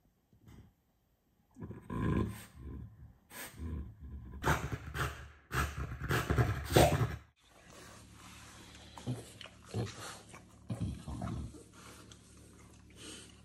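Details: French Bulldog guarding his home against uninvited guests: deep, rough roaring growls and barks in rapid pulses for several seconds, followed by quieter grumbling growls over a steady hiss.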